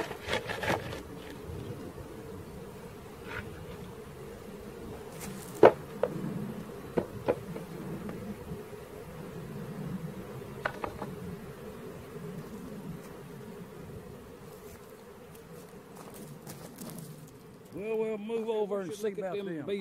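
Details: Buzzing of a honey bee swarm during its capture: a continuous mid-low hum with scattered taps and knocks, then a brief burst of louder, tonal noise at the close.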